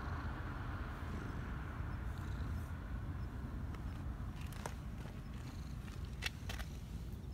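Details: Black Persian community cat living in a park in Japan, purring while being petted and showing joy, its first purr for this person; a steady low continuous rumble throughout, with faint clicks and rustling noises toward the end.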